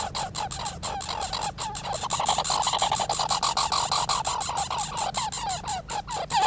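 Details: Squirrels making noise: a steady series of short, nasal, downward-slurred calls repeated several times a second, each with bright overtones, against a low background hum.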